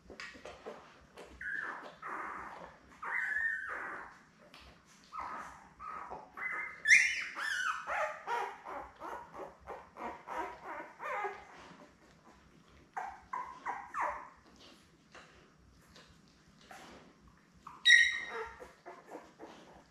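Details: Seven newborn Labrador puppies with mother Belle, born May 24, 2021, watched on a live cam: overlapping high squealing whines and yips in bursts, some drawn-out cries rising sharply, with quieter pauses between.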